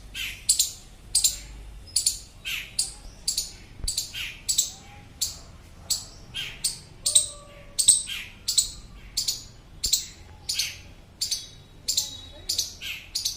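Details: An Indian palm squirrel gives loud, sharp chirps about every second and a half, calling a companion that got lost from its group.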